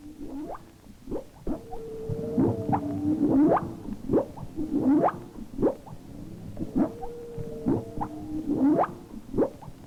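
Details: A humpback whale off Maui, Hawaii, in winter makes a non-song sound likened to an outboard motor: low, groaning upsweeps and droning tones, repeated roughly every two seconds.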